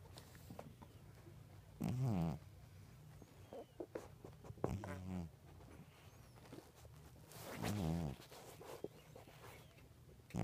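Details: A sleeping cat snores in three loud, rasping bursts about three seconds apart. Each breath swells, holds, and then cuts off. Faint clicks and rustles fall in the quiet gaps between breaths.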